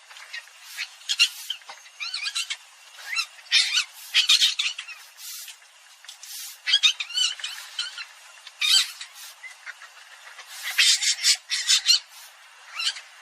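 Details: Civet, called อีเห็น or ชะมด, giving harsh, high, squawking bursts in irregular clusters over thirteen seconds. Some bursts are short and others stretched, with brief quiet gaps between them and no other clear sounds.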